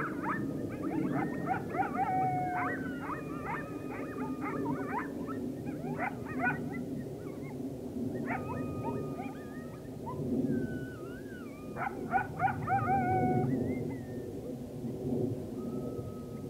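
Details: Coyotes calling together as the full moon rose on 9 October 2022; overlapping quavering howls and sharp yips come in waves, ending with a single thin howl, above constant low background hum.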